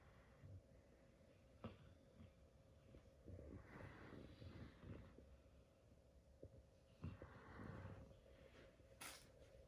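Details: A sleeping 4-month-old female Great Dane puppy snores softly, with low, rough breaths rising and falling every few seconds, during a nap with her sister and dad.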